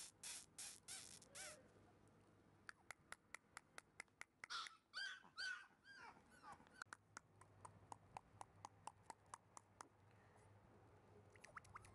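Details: Black female Shiba Inu puppy, born 16 January 2012 and filmed 19 February 2012, gives short high whimpering whines in a cluster midway, amid sharp clicking taps and a low steady hum.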